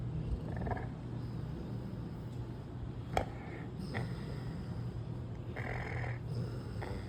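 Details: Gronk, a male American Bully puppy in Vegas, sleeps deeply relaxed, giving a continuous low rumbling snore with soft breathy rushes near the start, middle and end, and a single sharp click partway through.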